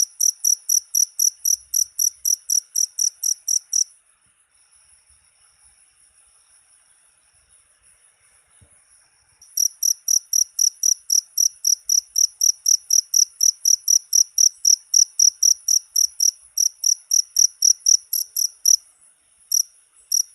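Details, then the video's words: Cricket chirping, offered as a sound to drive away rats: high, sharp chirps repeated about four times a second, with a pause of about six seconds in the middle and no other sounds. "SUARA JANGKRIK PENGUSIR TIKUS"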